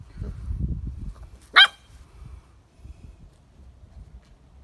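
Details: A single loud, abrupt bark from Ruby the English Springer Spaniel cuts through quiet low-pitched background rumble, followed by near silence.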